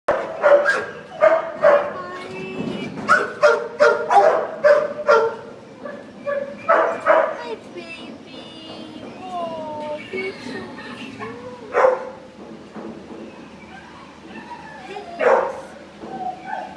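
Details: Puppies at a county pound yip and bark in quick, irregular bursts for the first several seconds. Softer whining cries and occasional single barks follow.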